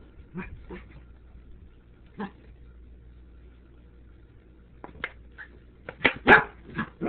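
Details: Tobi, a dog, reacting to a Sriracha bottle: a few soft yips early, a long lull, then a cluster of louder, rapid barks at the end.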